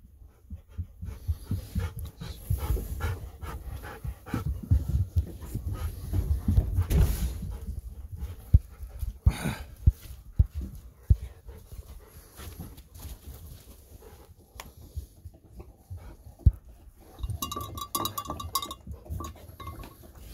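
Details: Golden Retriever returning from an evening walk through the fields, panting heavily in fast, dense rasping breaths that ease off later, with a few clicks and knocks and a brief higher rattle near the end.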